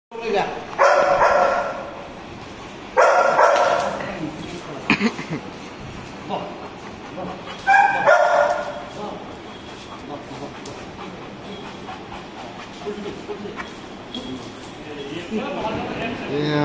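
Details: Saint Bernard dog barking: loud, deep barks at about 1, 3, 5 and 8 seconds, mixed with a person's voice, then quieter stretches with background noise.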